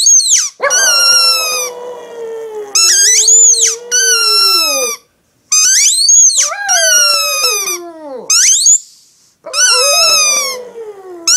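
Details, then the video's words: Pet Shih Tzu dog indoors howling along with her yellow squeaky toy: long, wavering howls sliding downward in pitch, mixed with shrill, rapidly repeated toy squeaks that start and stop in bursts. "Shih Tzu dog Lacey is howling, singing along with her squeaky toy"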